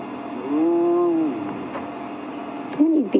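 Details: A very vocal, nervous spotted hyena approaches the matriarch at a hyena den on a sunset safari drive, 30 January 2016. It gives a drawn-out, fairly level moan lasting almost a second, then a shorter rising-and-falling cry, over a quiet hum.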